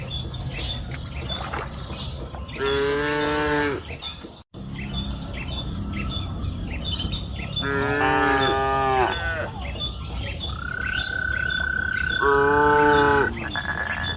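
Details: Afternoon on a green pasture hill, where cows give three drawn-out harmonic moos several seconds apart; a long thin steady whistle-like tone sounds in the later part, over light chirping and rural background.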